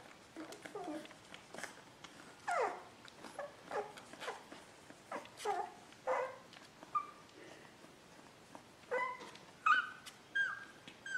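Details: Sleeping Beagle puppy indoors giving a run of soft whimpers and squeaky whines, short falling notes repeated at irregular intervals over about eleven seconds, growing higher and more drawn-out toward the end, faint room background.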